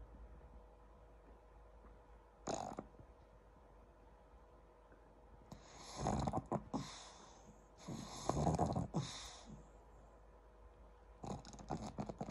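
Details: Pangpang the pug sleeps on the owner after getting bored in a meeting, snoring in rough, rasping bursts, some short and some drawn out, with quiet pauses between.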